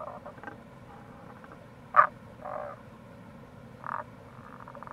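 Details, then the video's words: Tago's brown frog in April beside a gorge on the Kamo River, Itoshima, Fukuoka, Japan: a sharp mid-pitched croak followed by two softer, longer grating notes, with faint pulsed rattles at the start and end over a constant low background rush. "Wild Frog Call | タゴガエル"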